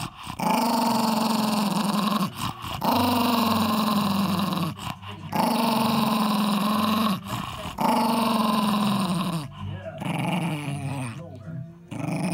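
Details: Protecting his ball, Eddie, a ten-year-old male Jack Russell, lets out a series of sustained low growls, each about two seconds long and broken by short breaths, the rumble holding a fairly even pitch throughout.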